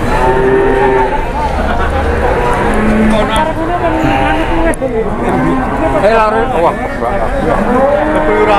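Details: Grandong cattle, agitated and running wild while coming off a truck, low sustained moos with wavering pitch, mixed with crowd chatter and shouting voices nearby.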